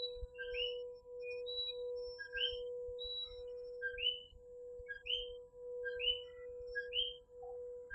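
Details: Coquí tree frogs in a nighttime chorus in Puerto Rico: several frogs give short two-part calls, a brief lower note followed by a higher rising note, overlapping in quick succession over a steady low hum.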